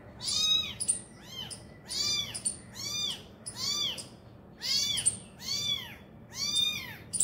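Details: Abandoned kitten crying beside its injured mother, who is feeding it; a steady series of high, arched mews, roughly one every second, loud and insistent, with little else heard.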